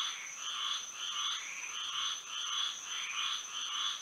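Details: Moonlit Florida night with frogs singing: a dense, less regular run of buzzy croaks overlapping one another, beneath a continuous high whining background tone.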